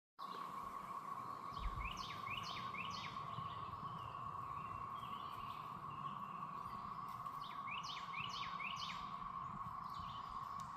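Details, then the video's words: Cicadas in Belton, South Carolina, on 28 April 2024, forming a steady, unbroken droning chorus at a fairly low pitch. Over the drone, birds give quick descending chirps in short bursts, and a low rumble briefly passes early on. "The sounds of the Cicadas"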